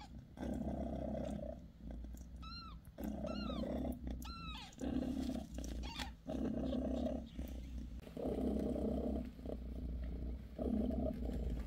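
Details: Bassy, a British Shorthair mother cat, purring while she massages her newborn kittens: a steady low rumbling purr in long breaths, with high thin kitten mews arching up three times near the middle.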